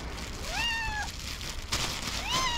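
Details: Hungry, talkative tuxedo cat named Tuxie, happy to see her owner at breakfast time, gives two rising, drawn-out meows about a second and a half apart, each bending up then leveling off, over low steady background hum.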